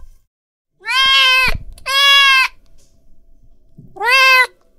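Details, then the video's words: Domestic cat in an angry mood: three strong, bright meows, the first two close together and the third after a pause of over a second, each steady and harmonic, with near-silent gaps between them. "Suara Kucing Lagi Marah"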